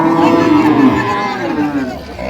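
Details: Improved-breed dairy cow among cows and calves at Ambari cattle market, Dinajpur, on 16 November 2025: a loud, sustained low moo holding steady with a slight waver, then fading, while a crowd murmurs and buyers bargain nearby.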